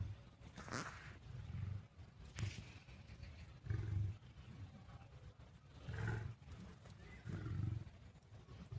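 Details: Deep rumbling growls from a lion fighting a tiger, coming in about five low bursts roughly every one and a half seconds, with a few sharper, brighter scuffling noises in between.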